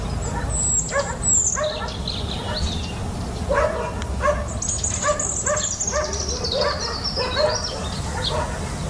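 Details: Puppy climbing a fence; short, high, strained yips and small barks repeat roughly every half second, with a thin whistling squeal near the start and a steady background hiss throughout.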